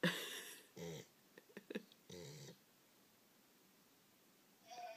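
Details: English Springer Spaniel Gaia asleep after a rough day of heavy eating and play with children: a few short rattling snorts and brief clicking, snuffling sounds separated by quiet gaps, with a faint whine at the end.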